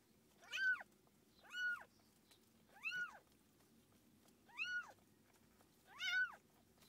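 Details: Five evenly spaced, piercing meows, each swelling up and then dropping, about one per second with a pause midway, captured during the birth of Tússa-Gatússa's litter of seven kittens; quiet room behind.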